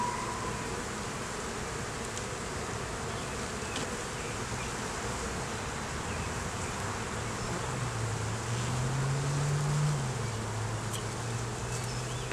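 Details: Honey bees humming steadily inside a beginner's hive under inspection, where a laying queen and honey were found; a deep drone that swells slightly around the middle before settling again, with faint clicks of frames.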